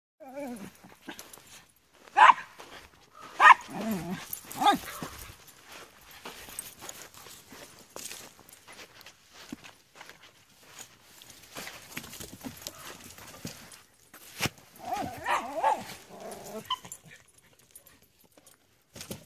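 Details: On a walk at Comox Lake with Rory, Floyd, Keira and Kijodi, a dog lets out wavering, whine-like barks in two bursts, one at the opening and one near the end, separated by footsteps and rustling on the trail.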